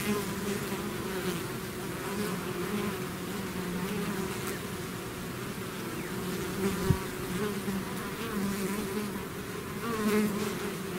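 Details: Swarming bees leaving their hive make a continuous, thick buzz of many overlapping wings, a low steady hum with faint brief rises, one short click near the middle.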